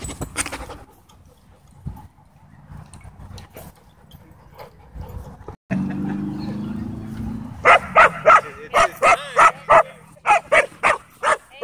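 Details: German Shepherd at a dog park, pinned by a pitbull mix and crying for help: low rumbling scuffle and faint sounds at first, then about ten loud, sharp, evenly spaced yelps over the last four seconds.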